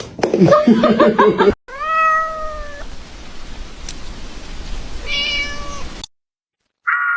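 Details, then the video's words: Kitten crying with two drawn-out, steady-pitched meows, rich in harmonics, each lasting about a second and ending with a slight fall; a noisy, clattering burst comes before them and a short higher tone follows after a pause. "kitten meowing crying"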